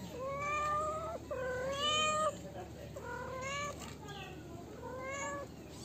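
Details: Four steady, level kitten meows in close succession, each nearly a second long, with a faint background hiss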